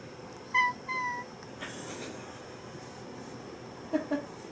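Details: Indoor pet cat meowing after a sneeze, 1 September 2019: two short tonal meows close together near the start, then quiet room hiss, then a faint soft double meow at the end.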